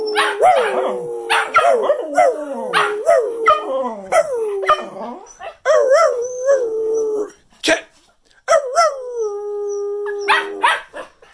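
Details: Cocker Spaniels in New Jersey howl at Christmas 2019 in drawn-out, wavering, yodelling notes that jump up and then slide down to a steady mid-pitched tone. Sharp clicks and a human voice break in between the howls.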